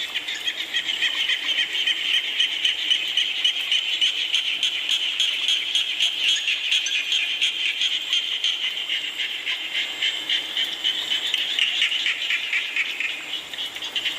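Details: Frog chorus in the rain. Many frogs croak in quick, rattling pulses that swell in the middle and ease toward the end, all under a constant wash of rainfall.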